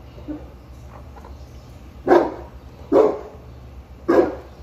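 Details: Sheeba the Boerboel near the chickens, quiet at first, then three loud, heavy barks roughly one second apart, over a low constant background hum.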